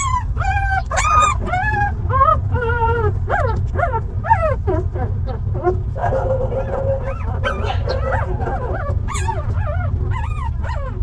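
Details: From a stray dog mother and her young puppies: a run of loud, high, arched whines and yelps, several per second, some sliding up then down, later softer whimpers, all over a constant low background hum.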